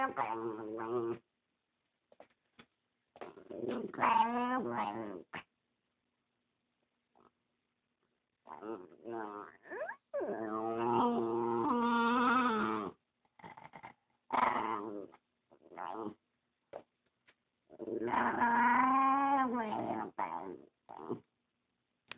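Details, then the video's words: Spumoni, a dog guarding the dog beside him and disliking the camera, makes a series of weird whining, moaning growls of varying length with wavering pitch, separated by silent pauses. "Spumoni makes weird noises part 1"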